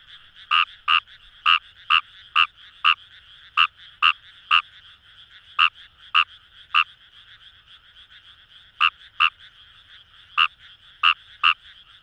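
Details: Kawamura's rice frog in Kamo River paddies, Itoshima, Fukuoka Prefecture, Japan: clipped croaking notes in clusters, a run of ten, a gap of several seconds, then more, over a constant humming chorus of frogs.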